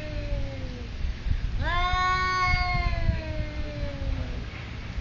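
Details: At a resort in Thailand, a cat squaring off with a rival gives one sharp-onset drawn-out wail that slides slowly downward, following a fainter trailing howl, over low ambient noise.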